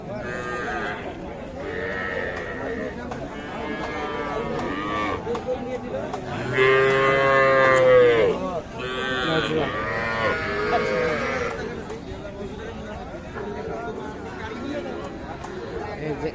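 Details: Cattle at the Ambari cattle market, where young bulls and heifer calves are sold: one loud, drawn-out moo rich in harmonics rises out of steady crowd chatter and bargaining voices, with shorter lowing fragments nearby.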